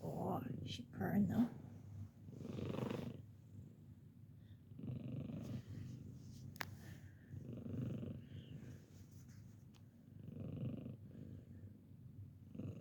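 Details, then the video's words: A senior female cat, 15-year-old Bella, purrs indoors while her hearing is being tested. Rhythmic low rumbling pulses recur every two to three seconds with each breath, and a person speaks over the opening seconds; one sharp click is heard midway. "Hearing test (and purring)"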